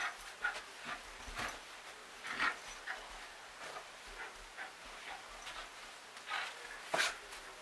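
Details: Jack Russell Terrier attacking a stuffed tiger toy, giving short scattered bursts of snorting and huffing growls at irregular intervals, with soft panting between them in a quiet room.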